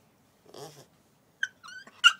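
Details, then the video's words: Puppy Coco-T, shut outside after a toilet accident, gives short high whimpers: a soft breathy sound, then two quick pitched squeaks rising in strength, the last one loudest. "Coco-T's cry"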